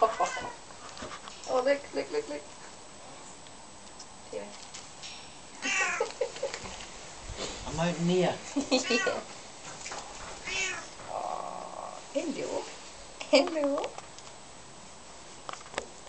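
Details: Ronnie and Reggie, twin Bengal kittens being held for the first time, let out short arched mews in small clusters. A woman's cooing voice and handling rustles mix in between the calls.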